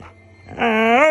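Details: Siberian Husky at night raising the alarm: a short, tonal, harmonic howl-like cry that swells in and rises slightly in pitch at its end, after a faint voice in a small indoor room.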